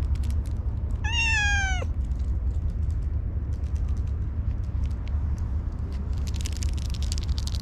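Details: Orange tabby cat that is slow to warm up to people gives one clear, high, slightly falling meow lasting under a second, over steady low rumbling background noise.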